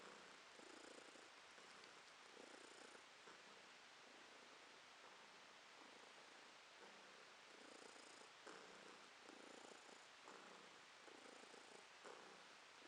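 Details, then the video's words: Resting house cat purring in July 2022, a low rumbling purr that pulses with each breath about every one and a half seconds, unbroken and even, with no other sounds nearby. "Кошка Ромашка урчит"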